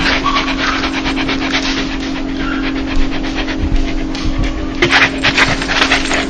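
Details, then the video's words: Dog laughing from happiness, heard as brisk huffing pants in a steady stream, a few louder bursts toward the end, with a low electrical-like hum throughout. "강아지웃음소리 강아지 행복할때나오는소리"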